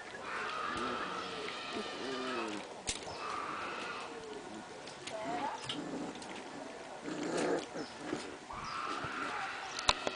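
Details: Four-week-old apricot and red Standard Poodle puppies at play, giving short wavering whines and yelping growls in bursts, with people talking over and between the calls.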